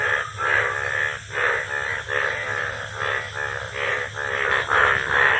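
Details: Rainy-season chorus of Indian bullfrogs: rough, buzzy croaks repeated more than twice a second in uneven overlapping waves, with no other clear sounds.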